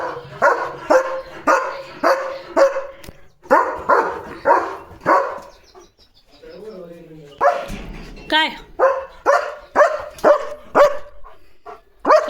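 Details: German Shepherd barking at cattle and an unknown bike outside the gate: steady runs of loud, sharp barks, about two per second, broken by a short pause with a man calling, then a renewed barking burst.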